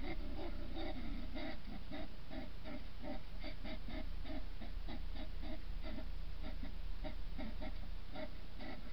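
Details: Two hedgehogs in a noisy, vicious battle at a feeding station early in the morning: rapid, rhythmic, rasping huffs and snorts, about three per second, in steady low, noisy bursts throughout.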